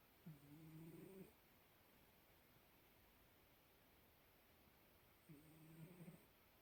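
A Bengal cat snores softly, with a low rumbling breath roughly every five seconds.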